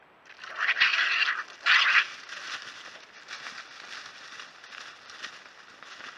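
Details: A European pine marten gives two harsh, hissing screeches as a young marten born in 2022 and a year-older neighbouring young marten born in 2021 fight after the younger one pounces on the older one.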